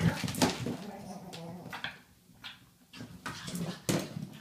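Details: Ollie the pug going crazy on his toy, letting out low rumbling growls and whines in uneven bursts, broken by sharp clicks and thumps from the toy being shaken.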